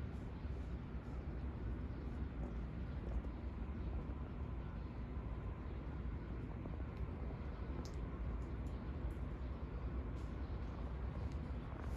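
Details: Steady low rumble of passing vehicles and distant aircraft outdoors in an urban setting, with a few faint ticks; no animal voice is heard.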